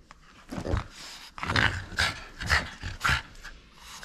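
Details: Indoors, a playful French Bulldog holding on to its toy gives a run of short, gruff, rasping growl bursts about every half second, with snuffly breathing between them.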